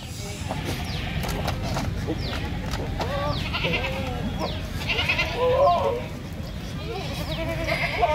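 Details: Male Sirohi goat at a goat farm in Nagaur, Rajasthan, India, giving several short wavering, nasal bleats in the middle of the recording, with people talking and steady background noise throughout.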